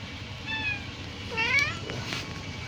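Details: Domestic cat giving a thin, drawn-out meow followed by a louder rising-then-falling mew, with people chatting nearby and a faint background rumble.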